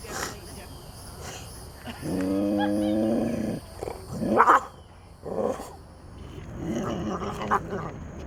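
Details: Rescued big cat held in a sanctuary, asserting itself toward people: one deep sustained growl of roughly a second and a half, surrounded by human voices speaking and exclaiming.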